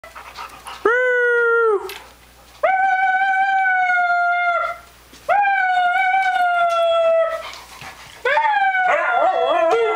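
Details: Siberian Husky howling while fighting with a cat: four long, drawn-out, tonal howls of one to two seconds each, steady then slightly falling, with short gaps, the last one wavering and breaking up.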